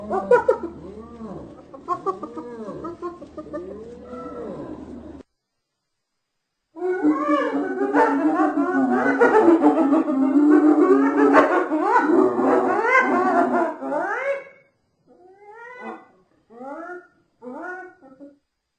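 A hyena giggles in fast bursts of arched, rising-and-falling yelping notes.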